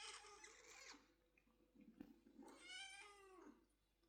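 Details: Kitten calling to its father cat while looking for milk, indoors; two harmonic meows, the first bright and buzzy about one second long, the second rising then falling near 2.5 to 3.5 seconds, with quiet rustling between.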